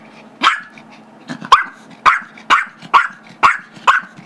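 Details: Gizmo, a 5-year-old Chihuahua/Yorkie mix, barks while wanting a squeaky toy held by Tigger, a 2-year-old Yorkie; six sharp high barks, the first after a pause, then roughly every half second, with faint low rumbling between.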